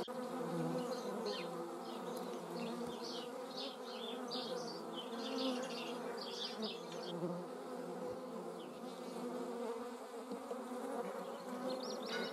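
A constant low hum of many beating wings fills the air as hornets and wasps fly about together. The buzzing swells and fades slightly as individual insects pass nearer, with no other sounds standing out.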